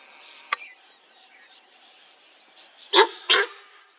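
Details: Sambar deer in Corbett National Park gives two loud, harsh honking alarm blasts in quick succession, warning of a tiger that was sighted.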